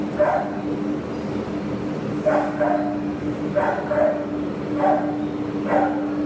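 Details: Five hoarse barks from a terrier available for adoption, 27 September 2015, spaced roughly every second, with a continuous low hum in the background.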